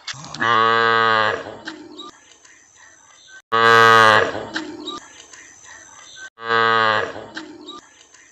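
A calf moos three times, each a loud, drawn-out bawl about a second long.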